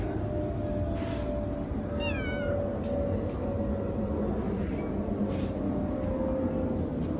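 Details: A single descending meow from a tuxedo house cat around the two-second mark, set against continuous low rumbling noise and a steady background hum.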